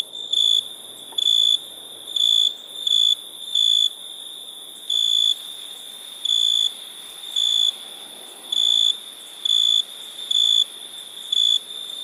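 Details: Crickets heard at night in India, producing clear high trilled chirps in regular bursts about every second, backed by a persistent shrill buzzing chorus and faint low rustle.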